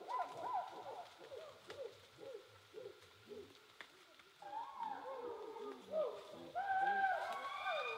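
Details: Chimpanzees calling from high in the trees, heard but unseen, in Kibale equatorial rainforest, Uganda, in heavy rain: a rapid run of breathy hoots rising into louder, higher wailing cries.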